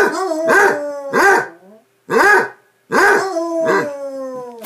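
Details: Basset Hounds in play bay with long ringing tones broken by deep clipped barks, two bursts separated by short silences.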